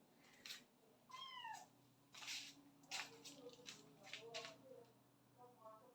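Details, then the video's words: House cat in a room where a mother cat has taken her kittens after moving them; one clear descending meow near the start, then faint short high chirps, mixed with a woman talking throughout. "বাঁচা গুলো কে নিয়ে মা বিড়াল অন্য ঘরে গেছে।"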